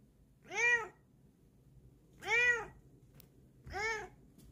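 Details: Female pet cat showing off her paws, uttering three clear, rounded meows, each under half a second and rising then falling in pitch, spaced about 1.5 seconds apart in a quiet setting.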